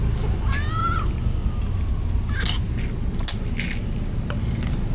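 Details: Stray cats being fed, recorded on a DJI Osmo Action camera; one short meow rises and falls in pitch, with clear overtones, over a steady low rumble of traffic and scattered clicks and knocks.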